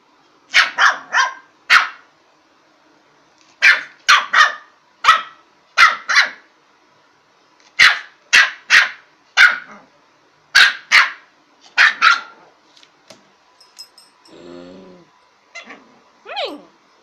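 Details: Lhasa Apso puppy barking during play indoors: sharp, high barks in quick clusters of two to four, with short pauses between bursts, then a softer growly rumble and a few yelps near the end.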